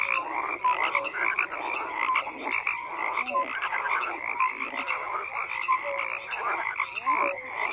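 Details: Dense chorus of many frogs croaking at once, overlapping pulsed croaks and short rattles layered into a steady wall of sound, with brief higher whistle-like notes scattered throughout.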